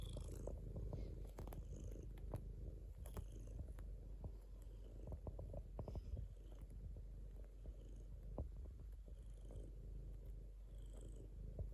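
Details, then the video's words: Sustained purring of a domestic cat, a low buzzing rumble of rapid pulses that rises and falls slightly with breathing, accompanied by scattered soft clicks and rustles. "a cat purring"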